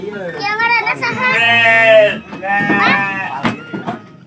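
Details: Sheep in a pen, visited on the first day of the fasting month while waiting to break the fast: a long, wavering, quavering bleat in the middle, with people talking loudly before and after.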